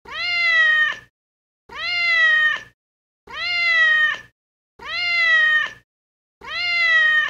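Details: Domestic cat meowing, five drawn-out, harmonic-rich meows of about one second each, rising then sliding down, evenly spaced with silent gaps, nearly identical in shape, no other sounds.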